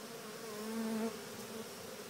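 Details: Honeybee swarm walking into an early experimental Cathedral Hive during a walk-in install, with no shaking or dumping: a steady low hum with strong tonal bands, swelling slightly louder around the middle of the clip.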